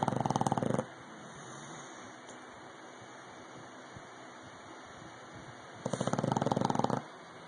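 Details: Rocky, an English bulldog, snores loudly: a short rattling pulse train opens, then five seconds of low hum before another coarse, throbbing snore of about a second.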